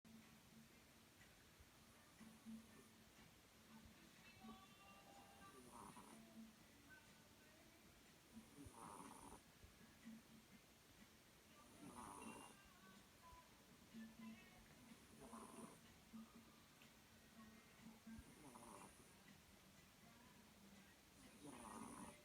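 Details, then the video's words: Sleeping cat snoring steadily, each soft breathy rasp returning about every three seconds over a constant low hum. "Snoring cat"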